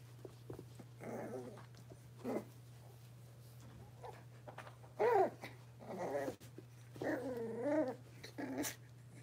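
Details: Six-week-old blenheim Cavalier King Charles Spaniel puppies from a litter of five, indoors in a home puppy pen: short wavering growly whines in scattered bursts, some rising and falling, over a steady low electrical hum.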